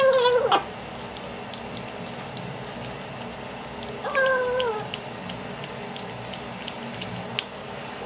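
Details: Hungry domestic cat indoors; two meows several seconds apart, the first short and falling, the second longer and flatter, with faint clicks and background noise between.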